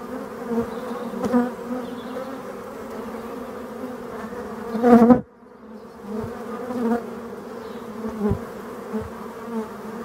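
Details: Black honey bees in Brittany, France, filmed against a yellow background; a steady low buzzing hum with layered bands, brief louder swells near the middle before a sudden drop.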